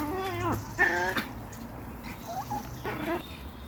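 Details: Chihuahua from a home kennel on an evening walk, filmed in macro; short harmonic yelping calls in bursts around half a second long, with a pause and a higher squeak between, over low background rumble.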